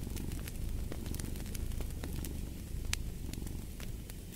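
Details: Brief stretch of a cat's low, buzzing purr with a fireplace crackling over it, a few louder pops standing out.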